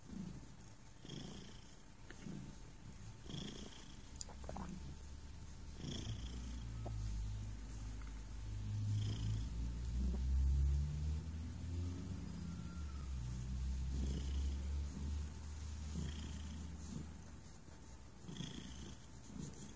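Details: Low rhythmic purring from a relaxed pet cat, a steady rumbling drone that swells louder in the middle before easing off, with occasional soft rustles and a faint background hum.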